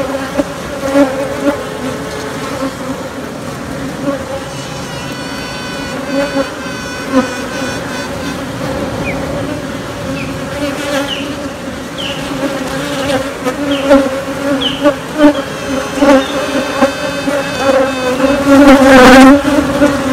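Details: Queenless honey bee colony raising new queens: a dense, continuous hive hum on two steady low tones, with brief higher whining sounds drifting in midway and the droning growing louder toward the close.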